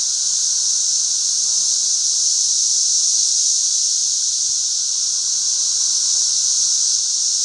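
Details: Thousands of 13-year periodical cicadas fly all over a back yard, their massed chorus a steady, unbroken high-pitched whine that holds level throughout, with faint lower tones beneath.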